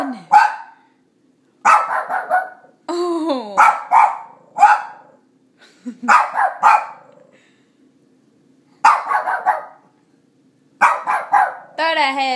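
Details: Ginger, a three-year-old female Shih Tzu pet, barks at her own reflection in sharp, bright bursts, several clustered together with short pauses, plus a whiny, rising yelp near the end; a woman's voice is heard briefly.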